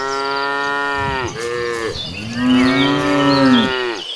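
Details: A large, tame cattle herd being driven gives long, droning moos with rich harmonics, one after another.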